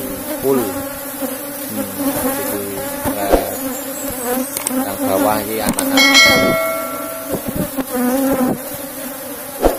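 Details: Buzzing of an Apis cerana colony kept in a box hive as the honey is taken out; a dense humming drone with layered overtones, a sharp metallic ring near the middle and scattered knocks.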